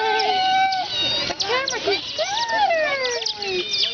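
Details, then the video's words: Group of captive Asian small-clawed otters at the Atlanta Zoo in 2006, huddled together: overlapping high whistled squeaks that rise, fall and bend in pitch, some sustained, others short chirps, with people talking nearby. "Otters squeaking"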